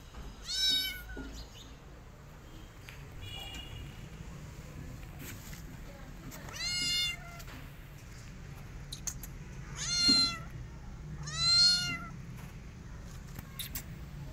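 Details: Rescued kittens hiding in a person's jacket for safety, treating the human as their mother; high, thin meows rise and fall, four prominent ones spaced a few seconds apart, with softer faint mews between over a low background hum.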